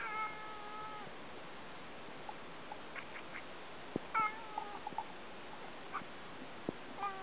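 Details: Male Ragamuffin cat kept indoors, staring at birds and wishing he could hunt them, gives short tonal meow-like calls with bright overtones: a held call at the start, a sliding pair near four seconds, another at the end, with faint clicks between.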